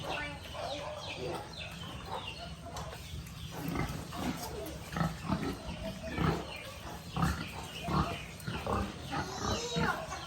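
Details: Piglets on a rural pig farm: many short, harsh grunts and squeals in quick bursts that overlap and grow louder in the second half, over a steady low hum.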